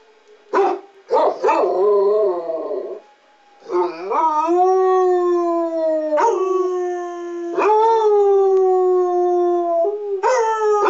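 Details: Walter, a 6-year-old tri-color Basset Hound, and Freckles, an 8-year-old tan and white Basset Hound, howl along with the monthly test of their city's public address sirens: long, sustained, wavering howls broken by short yelping bursts.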